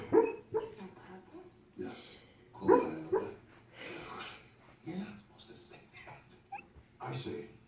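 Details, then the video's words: Dog noises made while asleep, a series of soft, muffled woofs and whimpering yips arriving in uneven bursts roughly every second or two, fading between bursts into low background hiss. "Dogs that make noises when they sleep."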